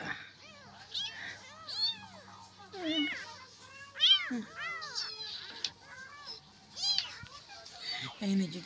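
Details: Kitten crying through the night for its mother until trembling, among hungry street cats being fed: rapid high arching meows, repeated and often overlapping, over a low steady hum with faint music behind.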